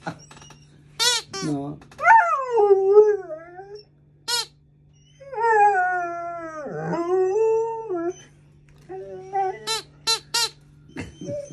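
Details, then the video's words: Alaskan Malamute puppy, female, chattering at a new squeaky alligator toy: bursts of short yips, two long wavering howls swooping down and up, more yips at the end, a woman talking over it. "Cute Malamute Puppy Scared Of Her New Toy (Talks and Howls)"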